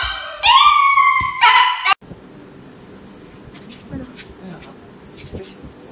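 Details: A dog going for an injection lets out two loud, drawn-out whining cries with steady harmonics, then goes quiet while faint room noise and distant voices continue.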